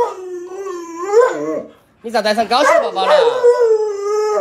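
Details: Luoluo, a pet Alaskan Malamute, howls at its masked owner: a long, steady, mid-pitched howl with a slight wobble, a brief silence, then a warbling, more broken stretch easing back into a sustained tone.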